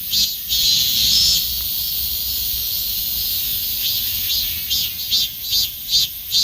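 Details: Summer song of a Robust cicada, starting as a sustained high buzzing drone that breaks near the end into distinct pulsed beats about two per second.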